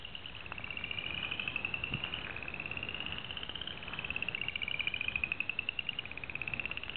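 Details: Upland chorus frog at Pond 9, giving a steady chorus of rapid pulsed trills. Several callers overlap, each trill a short, slightly rising run of clicks repeated without pause, over a low background hiss.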